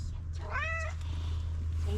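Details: Street cat meowing insistently to ask for food: one clear, tonal meow that rises and falls, about half a second long, over a steady low hum, followed by a woman speaking softly to the cat.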